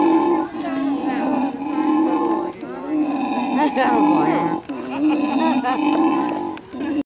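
A monkey having a fit lets out sustained, harsh, wavering screams that run for seconds at a time with only short breaks. Faint background voices and a bit of music are also heard.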